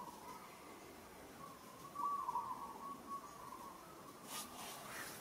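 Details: Baby monkey Moka struggling and calling in Kampong Cham Province, Cambodia, while Sada uses strong hands on her: a long wavering tonal cry in the middle of the clip, then a brief burst of rustling.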